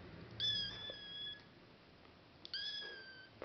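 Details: One-month-old odd-eyed male Norwegian Forest kitten giving two high, thin mews, each about a second long, steady in pitch and separated by a quiet pause of roughly a second.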